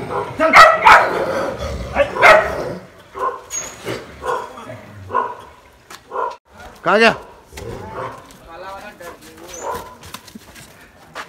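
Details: Street dogs fighting in the Pahadi hills of Berinag, rapid rough barks and snarls at first, then scattered yelps and a whining rising-falling howl, human voices mixed in.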